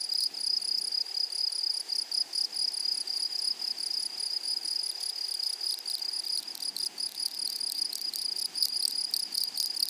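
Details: Grasshoppers in a meadow: a steady, penetrating high trill overlaid with fast rasping pulses, growing busier toward the end.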